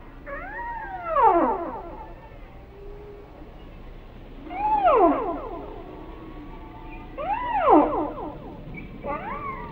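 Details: Whale song: three loud arching calls, each rising then sweeping steeply down through rich harmonics, spaced about three seconds apart, with a faint steady tone between them over a low, rumbling background.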